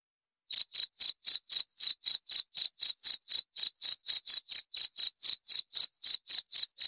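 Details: After a half-second of silence, a cricket starts chirping: sharp, high-pitched pulses repeated about four times a second in a regular beat, one slight hesitation near the end; clean, quiet background.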